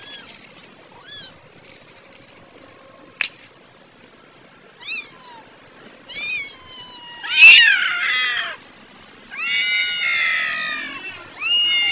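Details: Angry cats fighting and arguing over food, very loud: wavering, harmonic yowls and meows rise and fall in bursts, with a sharp click near the start and long, strained wails overlapping toward the end.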